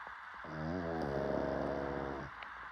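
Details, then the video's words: A single drawn-out snore from a sleeping pug lasts nearly two seconds: a low, buzzy, rattling breath with stacked harmonics that wavers slightly at first, then holds steady over soft hiss. "DOG Snoring"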